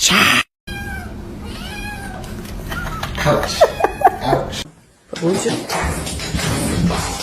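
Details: Kitten meowing: several drawn-out, arching meows in a row, with people talking and laughing over and around them.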